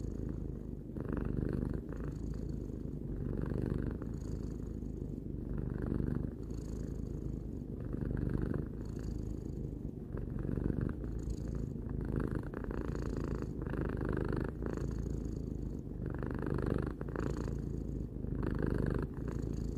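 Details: Relaxed purring from Tarou, a three-year-old cat, low and unbroken, pulsing gently with each breath in and out, the steady vibration carrying through the whole stretch without other sounds.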